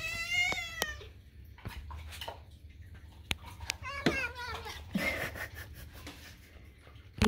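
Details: Domestic kitten at food time indoors, loud drawn-out harmonic meow near the start, a second shorter wavering meow around four seconds, with clicks, a woman talking and faint music.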